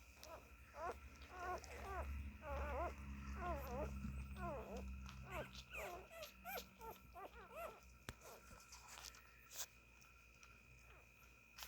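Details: Siberian Husky puppies while nursing, a run of soft, quick, arched whimpers repeated over several seconds with a low rumble beneath, fading into quiet.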